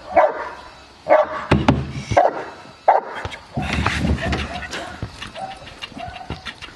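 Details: Fourteen-month-old Cane Corso Aaron barking during IPO training in Cavagliano, Italy: four deep, forceful barks roughly a second apart, followed by scuffling, thumps and a human voice.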